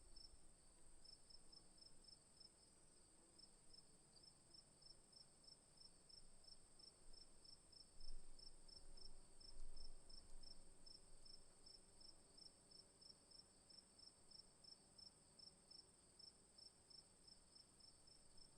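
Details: Afternoon crickets chirp steadily, with high pulsed chirps over a continuous shrill trill.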